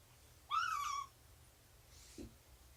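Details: Indoor cat sound from a 24 September 2017 morning of nursing and play involving mother cat Shelby, about two years old, and her three-month-old kittens: one short mew that rises then slides downward, with a faint low thump after.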